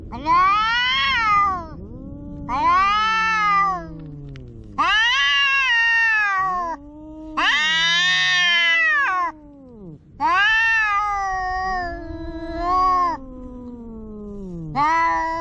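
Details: A domestic cat or kitten calls loudly in a run of drawn-out, rich, harmonic meows, each bending up then down, spaced a second or two apart, with softer low mewing slides between the bursts.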